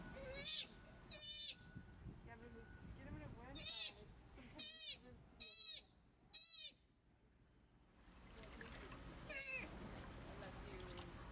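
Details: Young rescued sea otter pup in care, learning to swim and making first dives, giving loud piercing high squeals in quick bursts about every second, with water splashing and low background noise.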